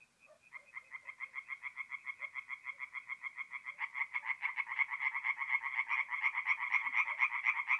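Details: Tree frogs singing at night at a forest pond in mid-April, north-east Italy: rapid, evenly spaced nasal pulses, about four per second, starting from a single caller and swelling into a louder, denser overlapping chorus.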